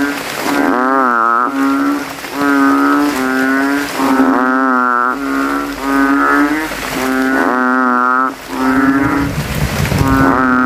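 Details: Banded bullfrogs (kodok kintel), night after rain, puddle in a cemetery, males vying to call loudest with inflated throats: repeated deep, booming moan-like notes, some dipping in pitch at onset, dense overlapping chorus.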